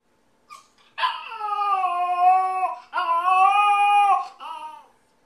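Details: Yorkshire Terrier puppy alone in the house, missing its owner: two long, sustained, slightly wavering howls in quick succession, followed by a short falling whimper.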